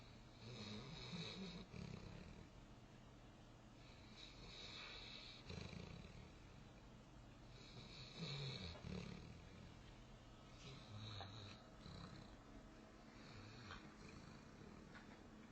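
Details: Newfoundland puppy named Goomba asleep on a futon, snoring and dreaming; low rumbling snores repeat in bursts every few seconds, with snorting breaths between them.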